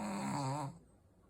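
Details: Shih Tzu snoring: one short raspy snore with a rattling, pulsed buzz that lasts about 0.7 seconds, then fades to quiet breathing in a still room.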